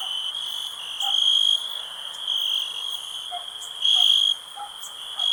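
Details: Crickets in a calm nature ambience, a steady high-pitched ringing trill that swells louder in bursts about a second long, with faint lower clicks scattered underneath.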